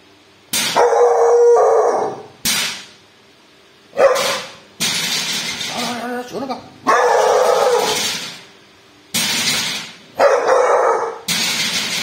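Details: Bull, a pet dog, barks at a thief in a series of loud, rough, broad barks, some stretched and howl-like, spaced irregularly over twelve seconds, with excited human voices urging the dog on between them.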